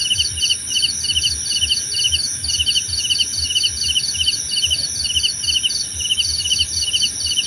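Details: Several crickets chirp in rapid pulsed bursts, two pitch bands alternating and repeating steadily over a continuous high insect hum; offered as calming nature sound for sleep and meditation.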